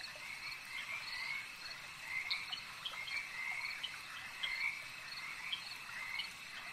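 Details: A lakeside frog chorus in which many overlapping short croaking trills rise out of a constant shrill background drone, returning about every two seconds without a fixed beat.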